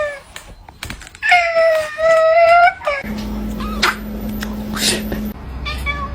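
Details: Pet cat giving a long, drawn-out, nasal meow with a steady wavering tone lasting over a second, preceded by short clicks and followed by a person speaking and laughing over light background music.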